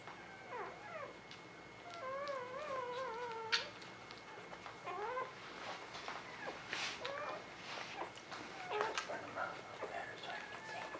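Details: Newborn puppies born in spring 2017 whining with drawn-out, wobbling tones that slide gently downward, then short rising squeaks, over soft handling noises.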